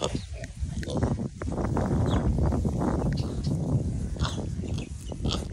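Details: Several little pigs on a farm during a petting and cuddle session, giving low, rough, overlapping grunts and oinks in a steady, busy stream, with soft rustling and handling noises.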